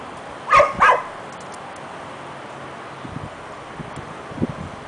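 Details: Harlee, a pet dog who wants Bauer's bone but is too scared to take it, gives two quick sharp barks close together near the start, followed by quiet background with faint soft knocks.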